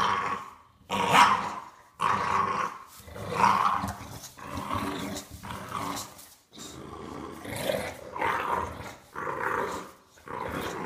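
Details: Playful bulldog puppy in a tug of war, growling in a steady series of raspy bursts, about one per second, some harsher and some softer, with nothing else heard.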